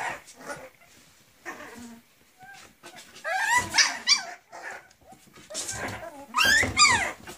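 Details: Griffon puppies, 40 days old, a litter of three males and four females in Cairo, giving high, wavering whines and short yelps in bursts, with the loudest rising-and-falling cries near the middle and end, amid soft rustling.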